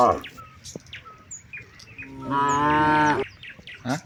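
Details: Grazing cattle in a large herd on broad rice fields, calling companions home at dusk: scattered bird chirps and whistles, then a single sustained moo lasting about a second, steady in pitch, followed by more birdsong.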